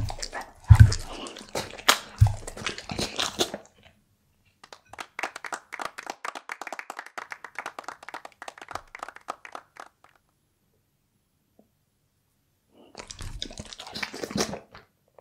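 A Bull Terrier chewing raw beef, with wet crunching and smacking bites in irregular bursts.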